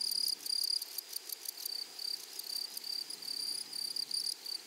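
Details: Meadow grasshoppers stridulate in a flowery prairie with sharp, thin, high buzzes. The buzzes come in short irregular bursts, some longer and smoother, over a quiet hushed background.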